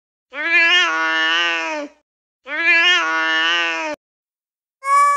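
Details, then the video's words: Pet cat giving two long, sustained, rich harmonic meows, each lasting over a second, followed by the start of a third; meowing loudly to attract attention, from a compilation of funny cat moments. "Funny Cats Meowing Videos"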